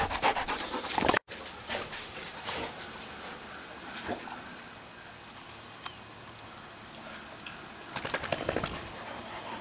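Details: Female dog panting after pulling herself over a fence outdoors while leaves are being cleaned up; quick, breathy, noisy huffs in an irregular run, with scattered rustling and handling noises around them.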